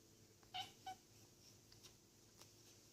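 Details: A Bengal kitten looking outside from a conservatory gives two short, high, strange chirping calls in quick succession in a quiet room.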